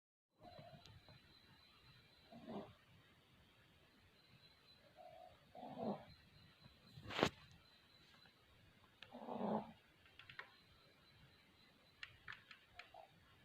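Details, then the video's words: Sleeping puppies snoring: soft, breathy nasal bursts recur every three to four seconds over a quiet room, with a sharp click near the middle and a faint steady high whine throughout. "Snoring Puppies"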